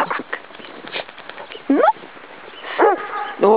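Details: Wonder, a blind Labrador Retriever, romping in snow in winter; three short harmonic barks with arched pitch, spaced about a second apart, amid shuffling and faint voices.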